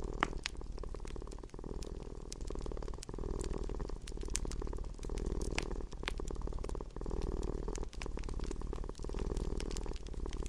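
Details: Indoor domestic cat giving a deep, unbroken purr with regular breathing gaps about every second, accompanied by intermittent crackling and popping from a nearby fireplace.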